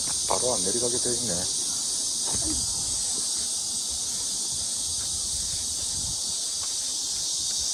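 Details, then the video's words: Cicadas around the Mujinjeong pavilion at about 1 p.m. on 2 August 2021 fill the air with a continuous, shrill, high buzzing chorus that holds steady throughout, with a few brief human voices murmuring near the start. "시원한 매미소리"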